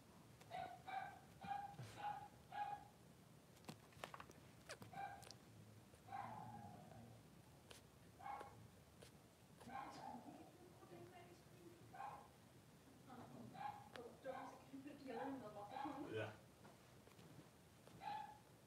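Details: Two newborn Blenheim Cavalier King Charles Spaniel boys, three days old, in a puppy pen with their mother Pom-Pom. Short, high squeaky whimpers come in quick bursts, some clusters rising and falling, with fainter low murmuring sounds in between.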